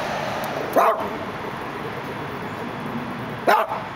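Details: A Dachshund watching through the gate in Los Angeles lets out two abrupt single barks about three seconds apart, with a constant low urban rumble behind.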